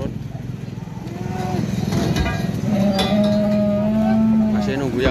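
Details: Jumbo Limousin bull waiting to be unloaded after arriving late at a farm in Ampel, Boyolali, Central Java; a sustained low moo held for about two seconds over engine rumble, clanks and background music.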